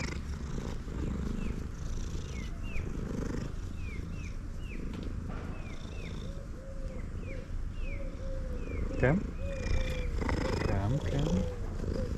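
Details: Male domestic cat purring loudly while eating; a dense low rumbling purr runs throughout, with chirpy bird-like calls in the background and a man coaxing the cat in speech.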